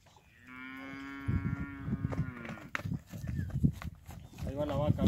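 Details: Steers of about 300 kg, described as tostado, give one long steady moo with rich harmonics lasting about two seconds, then men talk in Spanish over soft rustling and a fainter lowing.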